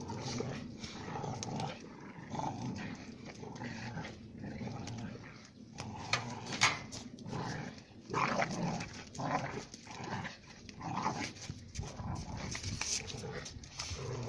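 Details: Two female Central Asian shepherd (alabai) puppies, Giranda and Gardarika, from flock-guarding stock of Tajikistan, fight to settle their relations; rough, low snarling growls and scuffling noises run throughout, with a human voice briefly audible.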